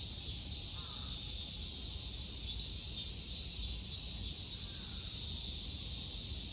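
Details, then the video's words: Cicada chorus from a Japanese summer in 2022: a steady high-pitched sizzle without pauses, and two faint bird notes barely showing near the start and end. "Sounds of the cicada [ Japan in summer ] セミの声"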